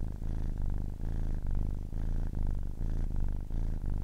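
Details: Purring of a kitten aged ten weeks, a deep vibrating rumble rising and falling in short regular cycles about every half second, dense low buzz with quick gaps between breaths, otherwise quiet.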